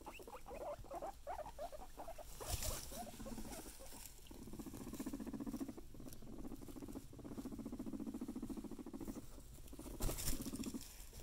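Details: Pet guinea pig rumbling: a low, fast-pulsed purring vibration that comes in several long stretches, with soft rustling and occasional bumps in the background.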